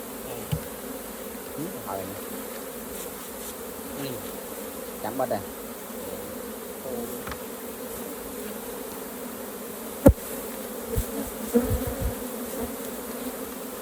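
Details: Honey bees drone continuously around a hive as raw honey is harvested. Scattered knocks, scrapes and clicks of equipment break into the steady, layered buzz.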